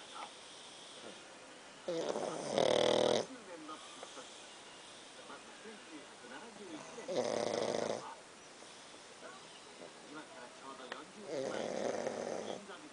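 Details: Pakkun, a dog, snores steadily: harsh, airy rattling breaths, each about a second long with a thin whistle inside, arriving every four to five seconds, with soft background talk in between.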